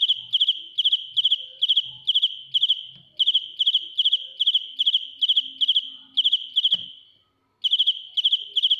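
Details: Loud, ear-piercing song of a dế mèn cricket recorded up close: trains of three-to-four-pulse chirps repeating steadily about 150 times a minute, with one sudden click and a short silence before the chirping resumes.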